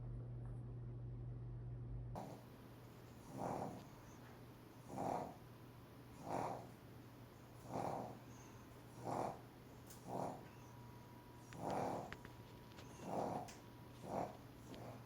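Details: Sleeping pug snoring indoors: rhythmic, rasping breaths roughly every one and a half seconds, each swelling and fading, over a steady low electrical hum.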